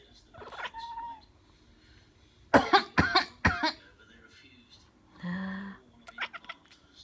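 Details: Domestic cat that dislikes coughing reacts after a person coughs three times in quick succession; a low, droning, annoyed vocalisation follows, with brief voices and clicks near the end.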